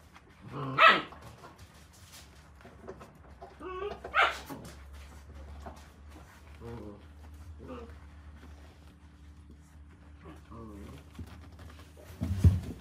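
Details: November-born Akita puppies at Noshiro Kojuso kennel gather to suckle from their mother just back from her walk; three brief sharp barks or yelps ring out several seconds apart, with soft shuffling and a low steady hum between them.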